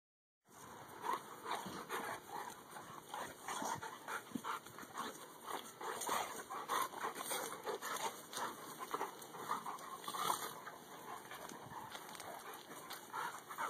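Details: Two dogs named Dakotah and Kobi, best friends, together; steady rough panting-like breaths with scattered short whimpering and grumbling sounds running throughout, continuous and uneven in rhythm.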